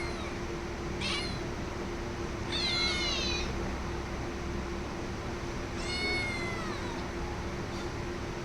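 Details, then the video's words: Domestic cat meowing three times: harmonic meows near one, three and six seconds, the last one long and falling at the end, over a steady low hum. "cat sound"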